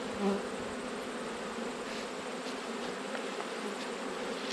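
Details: Honey bees buzzing during an autumn hive inspection, one of twelve beehives checked, where a colony had swarmed and raised a new queen; a steady, diffuse, droning hum fills the recording without pause, with no voices.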